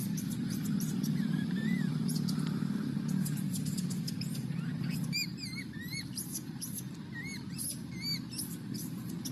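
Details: Little wild monkey wanting milk, making brief high wavering squeals in scattered bursts, a cluster in the middle, set against a constant low-pitched hum and crackling noise.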